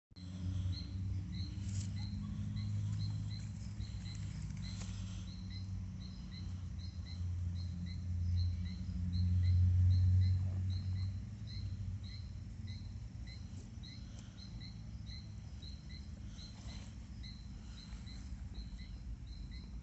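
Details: Horse stomach growling: deep, drawn-out rumbling gurgles that swell to their loudest near the middle, then ease back, under a steady run of high, evenly repeated insect chirps.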